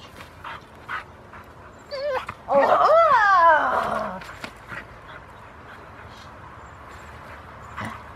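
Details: Rottweiler at a club protection-training session in Victoria, 2 August 2020, starting protection work; a loud, wavering high whine with squeaky rising and falling notes lasting about two seconds, then soft scattered noises and a quieter yelp near the end.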